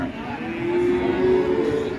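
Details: Cattle raging while being released, giving a low, sustained moo held steady in pitch for about a second, with people talking and a busy background murmur.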